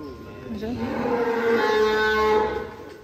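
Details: Cattle, one of three cows kept at GST Farm in Indonesia, giving a long drawn-out moo that swells and holds a steady, even tone for about two seconds before fading, with faint music underneath.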